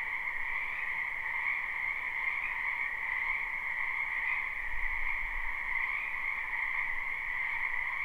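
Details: Wild frogs crowding a wetland behind a home in spring keep up a seamless croaking chorus, steady high and middle bands of overlapping calls, with a brief faint low rumble near the middle.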